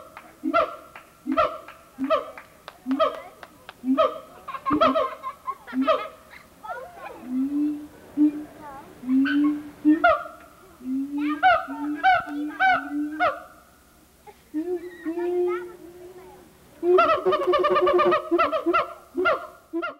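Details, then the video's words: Siamang gibbon at the Memphis Zoo in 1990, recorded on old VHS, calling noisily: repeated sharp barking hoots building into rapid rising series, interspersed with lower booming notes, bursts grouped in loud bouts. "Siamang Gibbon"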